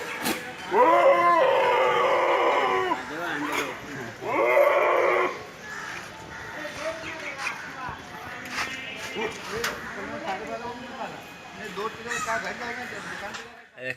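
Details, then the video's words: Goats making funny sounds: two long, loud, wavering bleats with a strong quavering tremble in the first five seconds, followed by quieter scattered bleats and voices in the background. "GOATS Making Funny Sounds and Noises"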